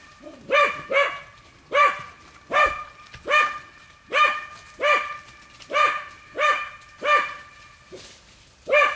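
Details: Hunting dogs at work on wild boar inside a training enclosure, giving sharp repeated barks about every half second to second, some doubled, with a handler praising them afterward.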